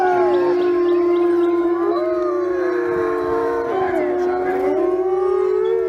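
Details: Several wild wolves howl together in long, sliding, overlapping tones that rise and fall against each other.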